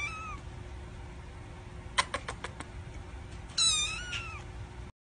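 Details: Domestic cat, a mother cat playing and talking with her kittens: a brief high mew at the start, then a series of sharp clicks and knocks, followed by a louder wavering meow with rich harmonics against steady background hiss.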